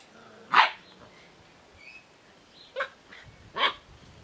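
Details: Puppies born on 20 March 2017 make three short, sharp yelping barks about a second or more apart, with faint whines between them. A person talks about their pen afterward.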